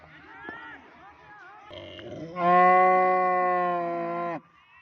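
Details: A cow gives one long, level, droning moo of about two seconds after faint background chatter and a brief rising squeal.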